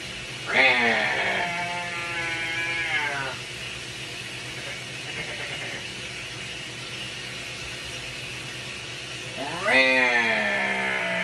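A binturong gives long, quavering, bleat-like wails, two calls separated by a quiet pause.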